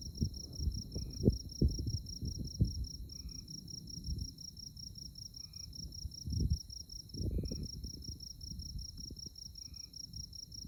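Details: On a moonlit night in tallgrass prairie at Konza Prairie Biological Station near Manhattan, Kansas, insects keep up an unbroken, high, finely pulsed trill. A lower chirp repeats about every two seconds, and low wind rumbles rise and fall.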